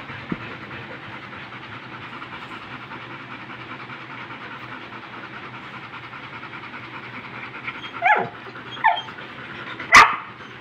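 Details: Rottweiler panting heavily, likened to a boat engine: fast, steady, rasping breaths throughout, followed by three sharper, louder bursts near the end.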